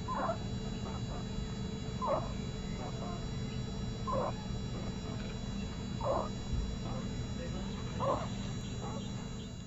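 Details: A sleeping kitten gives soft, short squeaky calls about every two seconds, each a brief mid-pitched burst with fainter small peeps between, over a low steady background hum.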